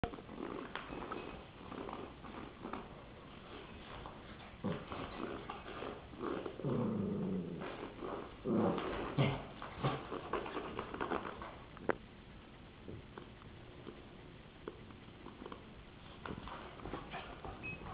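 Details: A Rottweiler playing with a popsicle stick indoors gives low, rumbling growls and grumbles in short bursts; recorded in 2007.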